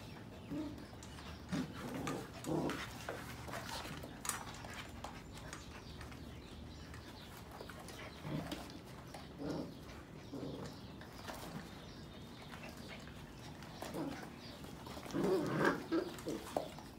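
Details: Playing Sheepadoodle puppies, 2020 litters of Pepper and Cocos, some awake while others sleep: brief low grumbles and squeaky yelps come in irregular clusters every second or two over a soft background of shuffling.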